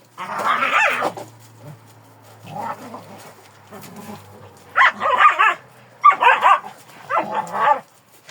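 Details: Kangal dog with a drawn-out yelping bark, quieter muffled sounds, then three bright, clipped barks in close succession near the end over a faint low hum.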